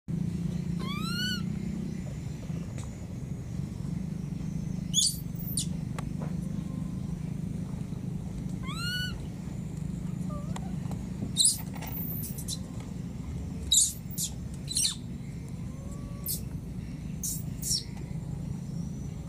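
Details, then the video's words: Lost baby monkey in the wild, calling for its mother: two rising, harmonic cries about eight seconds apart, with sharp high chirps scattered between and a steady low rumble underneath throughout. "This lost baby monkey keeps calling for its mother"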